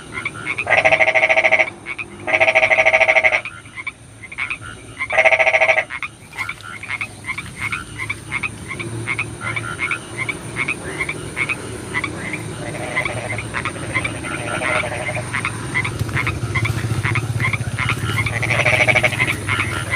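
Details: Rainy-night frog chorus: three loud bursts of dense pulsed croaking early on, then many frogs calling in rapid overlapping clicks and trills over a constant hiss of rain.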